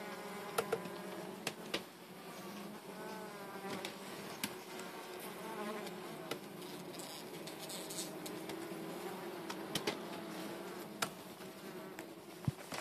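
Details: Dense, droning buzz of bees during their removal, the hum wavering slightly in pitch, with frequent knocks and scraping clicks over it.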